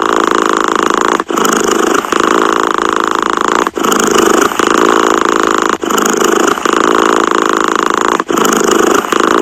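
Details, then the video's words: Domestic cat purring evenly: a dense, grainy buzz made of quick pulses, broken by short gaps roughly every two seconds, four or five across the stretch. "Tiếng mèo kêu gừ gừ"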